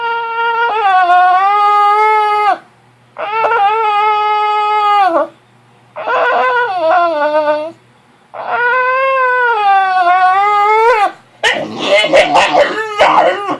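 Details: Woken early from a nap, the puppy Penelope fusses with a series of four long, level whining cries separated by short pauses, followed by a rougher, broken yelping burst at the end, indoors.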